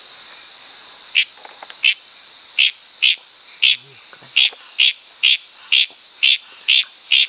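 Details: Litoria frog recorded wild at night in Tanimbar, Indonesian tropical forest: short, bright clicking notes repeated about twice a second, over a steady high shrill chorus of crickets and other night insects.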